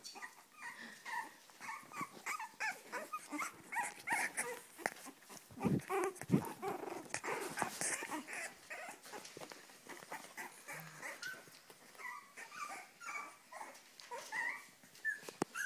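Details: Cavalier King Charles Spaniel in a room giving a long series of quick, high, nasal whimpers, several per second and uneven, with occasional sharp knocks and rustling in between.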